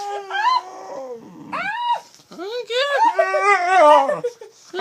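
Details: A female dog "talking": loud, expressive howl-like whines that swoop up and down in pitch, several drawn-out yowling phrases in quick succession with brief gaps, sounding almost like speech.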